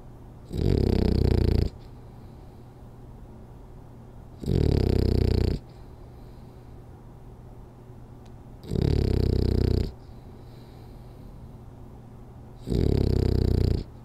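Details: French Bulldog sleeping through a power nap, snoring steadily: four deep, buzzing snores, each about a second long, repeated roughly every four seconds with quiet breathing gaps between.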